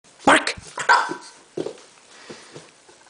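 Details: Bulldog barking indoors: three loud, harsh, abrupt barks in the first two seconds, followed by two quieter gruff woofs and soft grunting.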